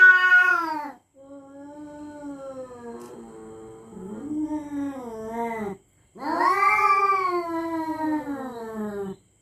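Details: Territorial cats threatening each other at night: long, drawn-out wailing yowls, rich in harmonics. One wavers and bends in pitch, a brief silence follows, then a louder, rising-falling howl fades away.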